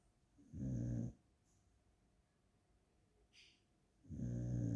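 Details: Dog snoring while tired and resting indoors, two coarse low-pitched snorts about three and a half seconds apart, with a faint brief higher click between them.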